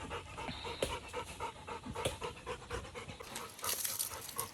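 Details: Labrador Retriever dog helping wash a car in a garden, panting in quick, regular breathy bursts, roughly two to three per second, over a steady background hiss that grows brighter in the final second.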